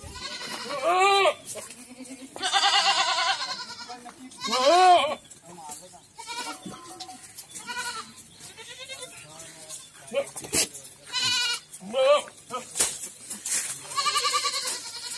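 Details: Goats at a farm in Ajmer and Kota, Rajasthan, bleating repeatedly: wavering, nasal bleats of about a second each, several overlapping callers with short gaps, plus quieter bleats and clicks between them.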